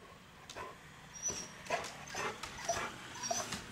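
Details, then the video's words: Chow Chow provoked by a chipmunk that peeks out and plays hide and seek, driving the dog nuts; short sharp yips and whining barks come in uneven bursts about every half second, with faint thin tonal whines between. "Chipmunk haunts Chow Chow"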